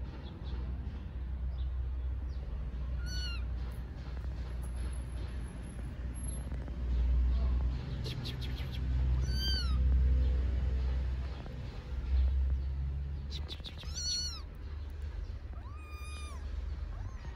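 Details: Starving stray kittens living on the street in Istanbul wait to be fed, giving high, arched meows in scattered bursts, some in quick pairs, over a steady low rumble of city traffic.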